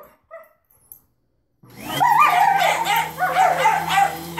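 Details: German Shepherd vocalizing at a vacuum cleaner: after a near-silent opening, loud wavering howl-like barks and yelps rise and fall continuously over the steady droning hum and hiss of the running vacuum.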